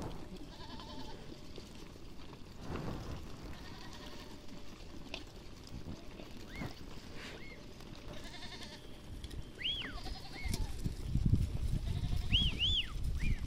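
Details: Herd of goats in a village, heard from some distance: a few thin, arching bleats and one quavering call rise over steady low shuffling and rumbling, with a faint constant hum underneath.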